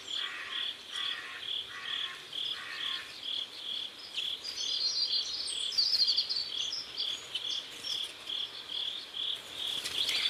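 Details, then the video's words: Sunset by a river in South Korea: crickets keep up regular high chirps about two or three per second, with a lower rasping insect trill at first and light bird calls overhead. "Sunset River and Sound of Crickets"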